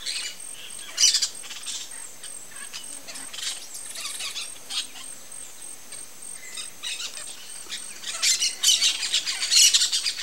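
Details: A South American coati (Nasua nasua), also called the brown-nosed coati, gives high, thin, bird-like chirps and squeaks in scattered bursts.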